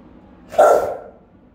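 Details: Rottweiler on house guard duty, caught on a camera the dogs had found; a single loud, round, resonant bark lasting about half a second, then fading away.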